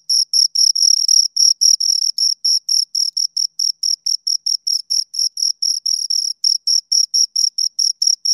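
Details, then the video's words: Crickets, two of them, chirping right near the microphone; sharp high-pitched pulses in quick succession, some merging into longer buzzy bursts, varying slightly in loudness, nothing else audible. "Two Crickets Chirp Sounds"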